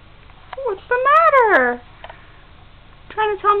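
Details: Crispin, a kitten staying temporarily at a house while a home is found for him, gives a loud rising-then-falling meow lasting about a second, with shorter faint mews and a person talking indoors.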